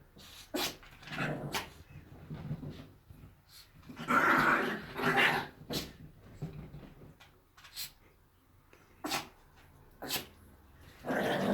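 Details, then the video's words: Chihuahuas playing together indoors, with short growls, huffs and brief sharp barks in irregular bursts separated by quiet gaps. "Чихуахуа чихают играют"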